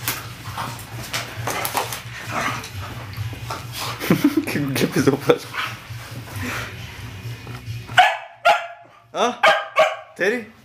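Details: Dog barking on command as a man urges it in Bulgarian; after several seconds of talking and handling noise, four or five sharp, clipped barks come in quick succession near the end.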